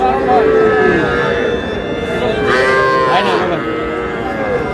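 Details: Calves, small bulls and heifers, at a market in Comilla, Bangladesh, on 12 May, give a long falling moo, then a brief upswept call, over crowd chatter.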